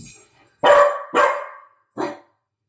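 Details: Domestic dog barking at nothing: three loud, clipped barks, two close together about half a second apart and a shorter third bark nearly a second later, each ending in a brief falling tail.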